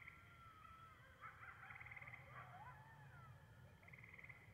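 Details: Wild coyotes calling: faint wavering howls that slide up and down, overlapping quavering yips and trembling notes from more than one animal, over a low rumbling background.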